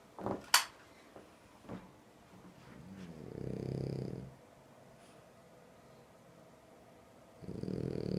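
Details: Sleeping French Bulldog gives a low, rumbling snore lasting about a second, after a few short knocks and rustles, then starts another snoring breath near the end.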